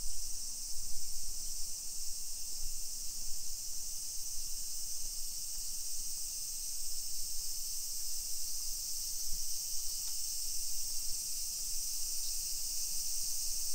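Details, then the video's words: Cicadas singing in summer in suburban Nisshin, Aichi Prefecture, Japan, on 28 July 2021 at 1 PM along hillside residential streets: a continuous, even, high-pitched shrill buzz with low background rumble from walking. "Summer Cicadas Sounds"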